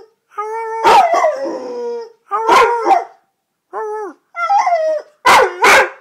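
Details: Red-nose pit bull, a pet dog, howling in a series of long tonal wails with rich harmonics that rise and fall, broken by short sharp barks between the drawn-out howls.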